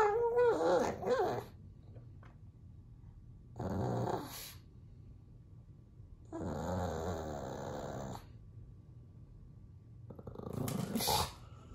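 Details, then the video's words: Bowser the pug vocalizing indoors while puppies play on the television: a high wavering whine at the start, then separated bursts of throaty grumbling and talking noises with quiet gaps between them. "Pug Bowser Barking"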